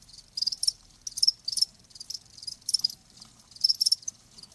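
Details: High-pitched cricket chirps arrive in clusters of rapid trilled pulses about every 0.7 seconds, separated by brief silences, over a faint low hum.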